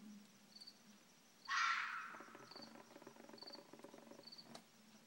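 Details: Red fox giving one harsh, raspy scream lasting about half a second, trailing into softer broken rasping notes, with faint repeated insect-like chirps in the background.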